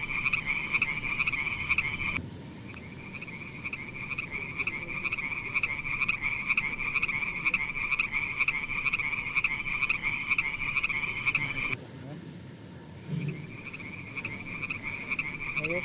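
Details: Frogs playing in a beautiful pond give a continuous high, buzzy pulsed trill that drops out briefly near two seconds and again near twelve seconds before resuming, over low background noise.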